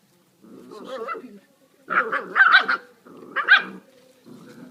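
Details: American Staffordshire Terrier puppies giving harmonic, wavering yelps and whines in three short bursts, the middle burst loudest, with a low growly undertone and quiet gaps between.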